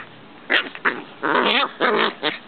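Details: Two Corgi puppies playing give short, high yips and rough little growls in quick, uneven bursts.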